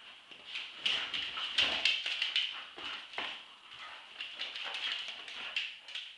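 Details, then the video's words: Staffordshire Bull Terriers Roxy, two, and Ralph, eight months, tussle in a tug-of-war game; quick whiny yelps and growls in rapid bursts, with tapping thumps of paws and bodies. "dog fight tug of war round 2"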